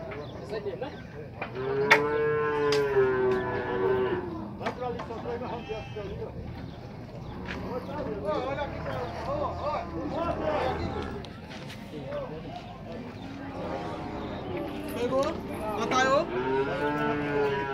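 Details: Nelore cattle being sorted at a cattle fair corral in Tabira, Pernambuco, Brazil; several animals moo in long arched harmonic calls, overlapping one another, with murmuring voices and pen clatter in the background.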